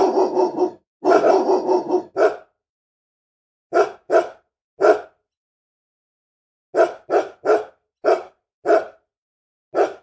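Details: Angry dog opening with two long, rough, rapid barking bursts, then settling into spaced single barks and quick pairs, about eleven more, over silence.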